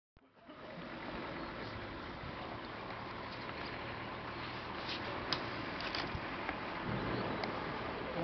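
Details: Steady broadband rushing like flowing water or a running motor dominates, with faint murmurs of voices and no distinct animal call.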